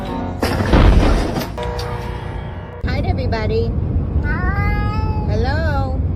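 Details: Pet cat from a funny cat compilation, meowing over loud background music. Three or four short, arching meows rise and fall in the second half, after a stretch of talk and music.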